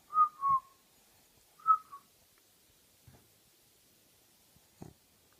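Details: A sleeping, dreaming French Bulldog snores in short, high nasal whistles, followed by soft muffled thumps.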